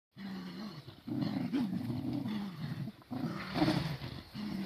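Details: Cardigan Welsh Corgi puppies, crowded together on a garden lawn on 23 May 2020. Low, drawn-out growling rumbles rise and fall, broken by short pauses, with a few sharper yelping peaks.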